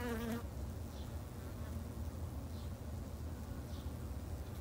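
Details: Steady low droning of many Japanese honey bees at a garden hive, opening with a brief louder buzzing pass close to the microphone, then an even hum.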